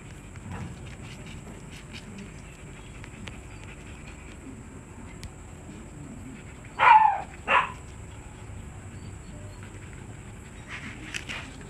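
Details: Siberian Husky at a stud service, giving two short harsh barks close together about seven seconds in over a steady low background hum, then a couple of fainter yelps near the end.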